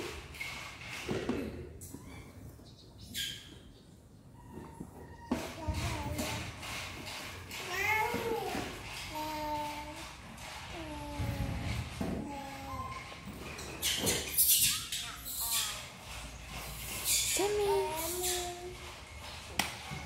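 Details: Orphaned infant monkey Jemmy, found alone in a village by villagers, very hungry for milk as her mom feeds her: a long run of arched, whining coos repeated every second or so, with a human voice and handling sounds.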